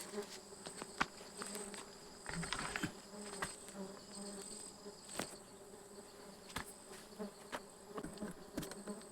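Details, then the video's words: Stingless bees during a honey harvest on 24 June 2026: a steady, low droning hum with a thin high whine above it runs throughout, broken by scattered sharp clicks and taps from handling. "Harvesting stingless bee honey"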